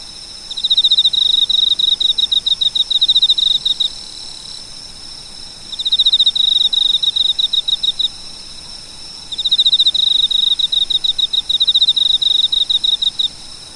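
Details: Insect chirping from a cricket: three separate bursts of fast, shrill pulse trains, each about three seconds long with pauses of roughly two seconds between, over faint steady hiss.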